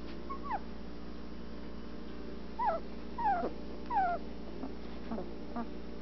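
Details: Anatolian Shepherd Dog puppies, twelve days old, eyes starting to open as they explore the whelping box. Thin, falling whimpers repeat about once a second, each sliding downward, over a steady low indoor hum.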